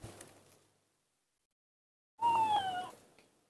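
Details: A confused baby monkey playing alone in front-yard dirt utters a single clear whistled cry that starts high and slowly falls. A soft rustle comes before it.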